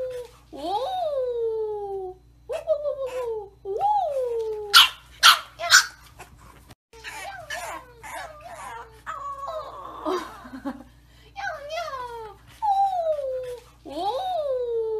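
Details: Bulldog puppy giving repeated high whining yelps that slide downward, each about a second long, broken by a cluster of short sharp barks midway, with a scratchy rustle and a steady low hum throughout.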